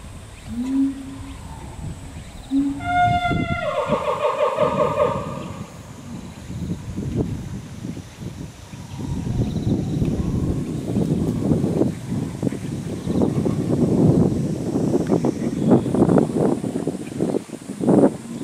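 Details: Chimpanzee family group led by the male Ryu, with his father Charlie, young male Riki and twin girls: a short harmonic tonal call near three seconds, then a long stretch of noisy rumbling and thumping sounds.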